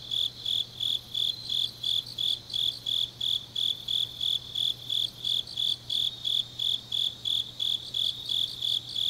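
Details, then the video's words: Autumn grass insects calling deep in the night in Changnyeong, South Korea: a piercing, metronome-like series of short high chirps, close to three a second, with distant insect shimmer and a faint low hum. "깊은밤 가을 풀벌레 소리"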